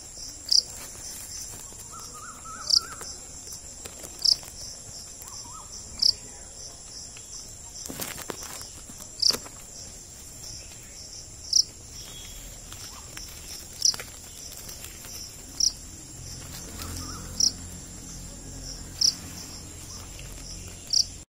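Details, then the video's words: Cricket, or jhingur, chirping steadily with sharp high notes every one and a half to two seconds, over a constant shrill insect background and some low rumble. "Desi Insects Cricket, Jhingur kaisa hota hain?"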